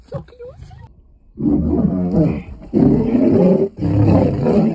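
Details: Lioness by a roadside in Nairobi National Park, Kenya, rebuffing a male lion's attempt to mate. Faint voices open, then three loud, harsh, rasping snarl bursts of about a second each, separated by short gaps.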